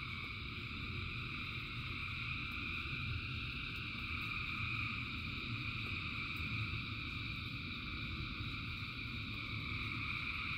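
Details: Frogs calling in rain, a huge massed chorus heard as continuous overlapping high trilling in layered bands, constant throughout, with low rumbling rain noise beneath and occasional soft ticks.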